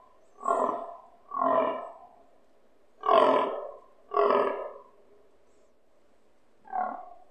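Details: Fallow stag grunting during the rut near a house, loud enough to vibrate windows; five deep, rasping, belching grunts in uneven bursts, each about half a second, with a longer pause before the last.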